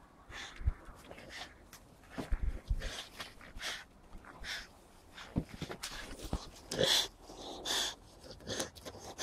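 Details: Captain Jack, an English Springer Spaniel, running around the garden collecting leaves; breathy, noisy puffs and snorts come in irregular bursts about every half second to second, mixed with rustling leaves and footsteps outdoors.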